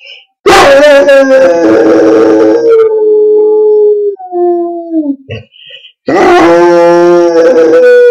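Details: Loud, full-throated howling by George, a Gordon Setter: a long harsh howl easing downward into softer whining tones, a brief pause, then another powerful drawn-out howl.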